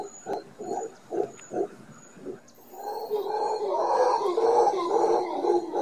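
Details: Howler monkeys calling at close range just off a condo balcony in Guanacaste, Costa Rica, as a morning wake-up chorus: a string of short rhythmic grunts swells into a continuous deep roaring howl.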